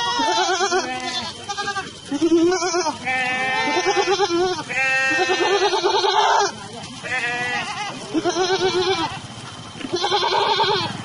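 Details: Several Sojat Sirohi goats, males and females held for sale in Pune, call almost continuously with long, shaky, nasal bleats, overlapping one another; a human voice is briefly audible among them.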